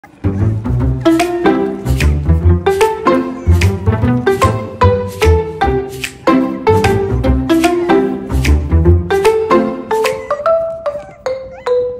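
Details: Lively plucked string music with deep bass notes and a bouncing rhythm fills the whole recording, with no animal heard.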